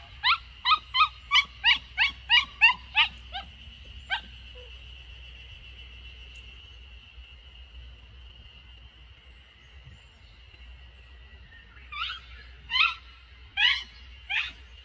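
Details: Samoyed puppy Lucky, 64 days old, in a garden in Niseko, Hokkaido, Japan, on 3 June 2021 during an escape; a rapid string of about a dozen high yelping whimpers, a long near-silent stretch with a faint steady tone, then four more yelps.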